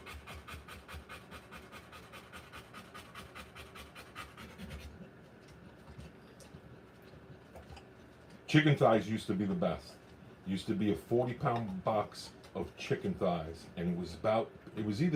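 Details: Rottweiler in labour while giving birth to puppies, panting in rapid, evenly spaced breathy pulses for about five seconds, followed by a pause and then louder human voices talking nearby.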